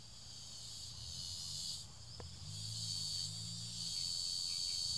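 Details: A cicada being devoured by ants gives a steady, high, hissing buzz that runs on without a break.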